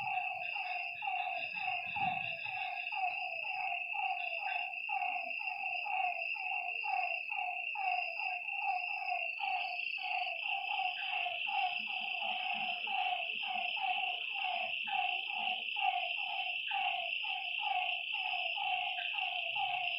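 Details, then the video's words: Several frogs calling by a lake at night, a fast, even pulse of short nasal notes around one per second from many voices, set against a continuous high, ringing insect chorus. "Lakeside night creatures and frog sounds"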